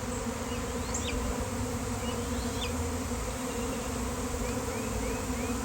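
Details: Swarm of honeybees appearing suddenly outdoors on a day of nice weather, a beekeeper called in: steady dense droning hum fills the clip, with faint chirping birds above and a person marveling that they are everywhere.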